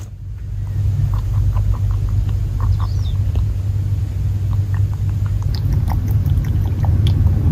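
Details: Fuku, a male Netherland Dwarf rabbit born May 2019 and living in an old rural house in Japan, drinks water eagerly; quick soft clicks of swallowing repeat in short bursts over a steady low rumble.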